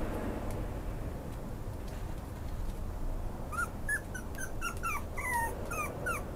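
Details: Maltese x Pomeranian puppy whimpering: after three seconds of quiet room hum, a quick run of high, thin yelps and whines, each short and sliding downward, coming in close bursts over a low steady background drone.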